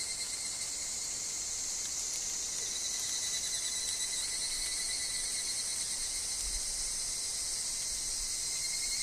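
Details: Forest higurashi (evening cicada), heard among wind and falling leaves, keep up a continuous high rasping shimmer of fast pulses, with a steady fine lower whine and an occasional soft low knock.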